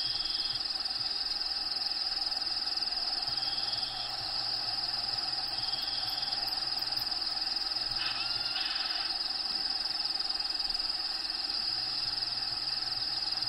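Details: Crickets inside a bearded dragon vivarium, with natural habitat sounds playing in the background: a steady high, shrill trill pulsing about four times a second, a low repeated hum beneath, and brief higher tones around eight seconds.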